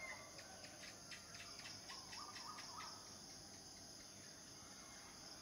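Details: Cicada chorus of males courting mates: an even, shrill drone with a quick series of about ten rapid pulses in the first three seconds, then the steady whine continues alone.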